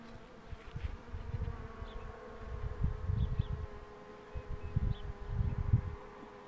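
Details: Honey bee drone during the pulling of the queen box, a layered continuous hum with swelling low rumbles of handling around the middle and end, and faint distant chirps.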